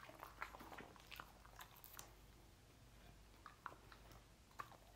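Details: Lucy the dog chewing sausages in a small room: scattered crunchy bites and wet smacks, bursts clustered early then spaced out, with a faint steady low hum underneath.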